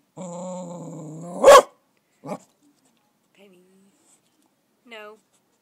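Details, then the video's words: Female cocker spaniel puppy frightened by a caterpillar on her first meeting with one, in summer: a sustained low growl rising into a single loud sharp bark, followed by brief soft whines and small yelps amid quiet. "Cocker spaniel puppy scared of a caterpillar"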